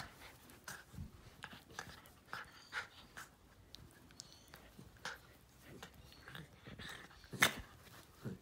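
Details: Jack Russell x Fox Terrier named Steve, a pet indoors in low light, playfully attacking a hand; short broad snorting growls and panting bursts at irregular intervals, with one sharper burst near the end, in a small room.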